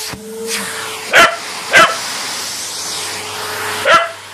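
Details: Patterdale Terrier playing fetch, giving three sharp, separate barks spaced unevenly across a few seconds, with a brief high whine at the start and a steady low hum underneath.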